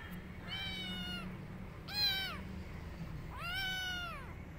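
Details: Tabby kitten running off and hiding inside a jacket, calling three times in quick succession, each meow rising then falling in an arched shape, the middle one short, over a low background hum.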